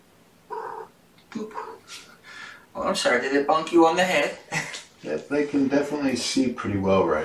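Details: Kittens from Gamora's litter of five, born April 14, in a home kennel at breakfast time on 2018-05-07; two short rising high mews open, followed by overlapping human speech and further mews in a small indoor room.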